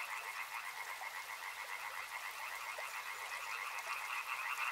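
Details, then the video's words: Crowded frog chorus at a river, quick overlapping croaks packed into two bright bands, the lower band strengthening near the end, with a light hiss throughout. "Frog Sounds | Soothing sounds of river and frogs"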